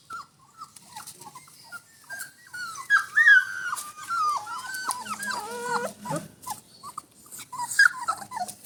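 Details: Rajapalayam puppies, 24 days old, just starting to walk on a solid floor; several high, thin whimpers and squeaks, rising and falling, overlapping in irregular bursts with soft shuffling in between.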